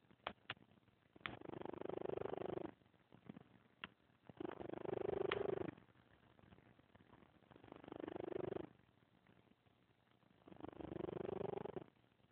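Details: Scamper, a 14-year-old grumpy female cat, snoring loudly in her sleep indoors: long, throaty, rasping breaths, each about two seconds long, returning roughly every three seconds in a steady rhythm with quiet pauses between.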